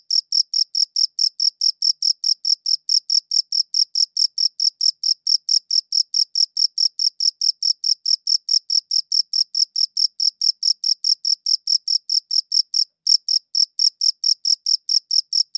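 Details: Steady cricket chirping, recorded in high-quality audio: sharp high-pitched pulses ticking along a little over twice per second with one brief gap near the end, nothing else audible in the background.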